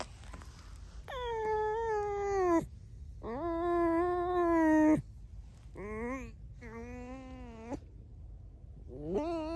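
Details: Pet red fox squeaking with no talking over it: five high, whining, tonal squeaks with rich overtones. Some hold steady, some bend downward, each lasting about half a second to two seconds, separated by short silences.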